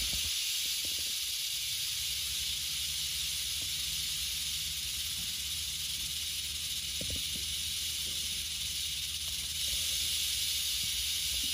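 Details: Western diamondback rattlesnake during relocation, sustained hissing rattle buzz held high and even throughout, louder toward the end, with occasional low knocks.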